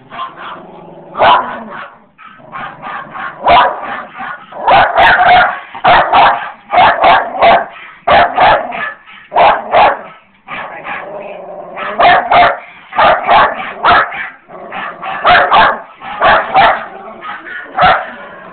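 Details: Sophie and Fenway, a basset hound and a Jack Russell terrier puppy, reacting to a cellphone recording of their own howling: loud, short barks and yips in rapid bursts, with brief pauses, through eighteen seconds.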